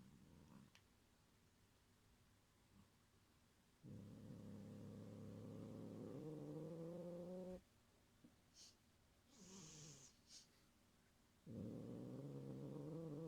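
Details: Guarding its string toy Cotton-sensei from the cat Ebiten, Gyopi gives a threatening growl: a low rumble that climbs in pitch over several seconds, then a pause with faint taps, then another deep growl begins.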